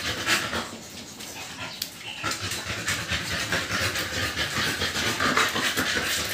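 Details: Two-month-old American Bully puppies, indoors after their second 5-in-1 vaccine, panting in rapid breathy bursts of about two or three per second, steady and hissy throughout, with faint background voices.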